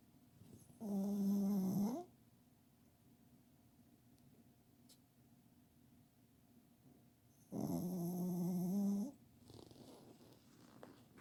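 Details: Pet dog snoring loudly while asleep under a kotatsu indoors: two deep, harsh, buzzing snores, each about a second long and roughly six seconds apart, with quiet breathing between them.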